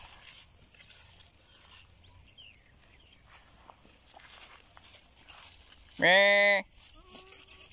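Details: Goat giving one loud, steady, nasal bleat lasting just over half a second near the end, after quiet rustling and faint background sounds.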